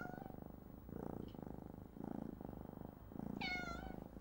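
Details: Young kittens play in surgical glove boxes in the National Cat Adoption Centre maternity wing, East Sussex, shot on an old compact camera. A low vibrating purr pulses in bursts before one short bright meow near the end.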